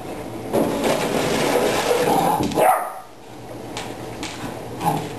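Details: Ten-week-old puppy barking at a water bottle, a long rough burst of barking over the first three seconds, then quieter, with two short yips later.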